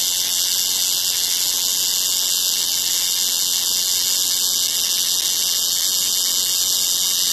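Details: Cicada in full song: an unbroken, intense high-pitched whine with a faint grainy texture, steady in loudness throughout.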